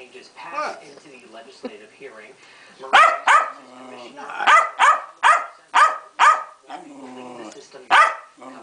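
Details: Pancake, a female Keeshond in a royal superfit, begins with low grumbling whines, then fires a quick series of about eight sharp, strident barks, ending in a moaning whine.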